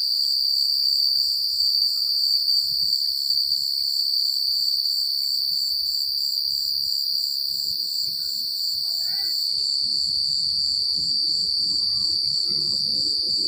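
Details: Crickets chirp at night in the quiet countryside in a steady, high-pitched, pulsing trill that never pauses.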